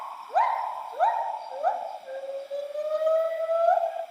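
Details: Bornean white-bearded gibbon, locally called krawet in Dayak Ngaju, a song with two females singing and a male joining at the end. Rising swooping whoops repeat about every half second, then flow into a long steady hooting tone with fainter overlapping notes.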